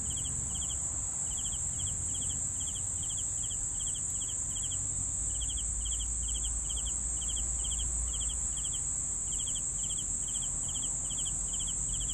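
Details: Cricket chirping for sleep, short pulsed chirps of three or four notes repeated about every half second over a steady high continuous trill from other insects, with low rumbling background noise.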